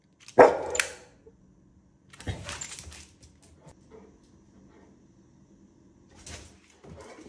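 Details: Willy, a pit bull, frightened yet curious about a new toy dinosaur holding a lollipop; one sharp loud bark, then quieter rustling and a couple of faint muffled sounds in a quiet room.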